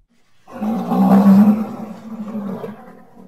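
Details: Rhinoceros letting out a single long, low, droning bellow that swells quickly and then slowly fades over about two and a half seconds, with a rough, resonant tone.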